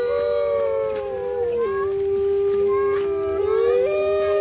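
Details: Chorus of captive grey wolves at Artis Zoo, 10 November 2013, howling to signal their location and keep rival packs away; several sustained smooth howls overlap, one dropping in pitch midway while another rises near the end.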